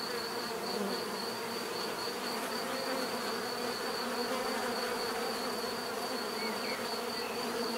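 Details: Continuous buzzing of many bees, a thick even drone without pauses, topped by a steady high whine, with faint short chirp-like marks scattered through it.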